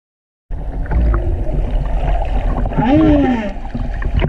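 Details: A humpback whale song unit recorded while snorkeling at Silver Bank, Dominican Republic, in February 2019 (an early recording of that year's song): a moaning tone that rises then slides down, over rumbling water noise.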